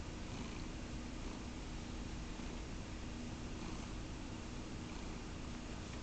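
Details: Low, rough purring from Caramel the cat, an even rumble running without breaks, recorded close in a quiet setting.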